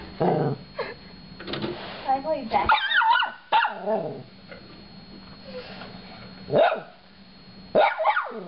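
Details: Chewie, a small Shorkie dog in a room with a DVD player, fires off rapid squeaky yips and short barks in clusters, separated by quieter stretches with faint human voices.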